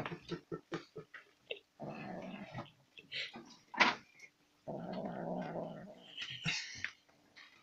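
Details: A domestic cat eating sour cream makes odd grunting, murmuring sounds mixed with quick clicks and smacks.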